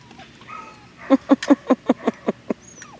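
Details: Seven-week-old Labrador Retriever puppies giving a quick run of about eight short yips, with faint squeaky whines before and after.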